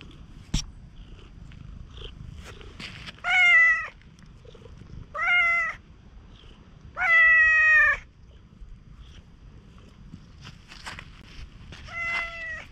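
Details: Tanuki-looking stray cat being very affectionate at a campsite after rain in Japan; four short meows spaced a couple of seconds apart, one longer than the rest, with faint clicks and rustling between them.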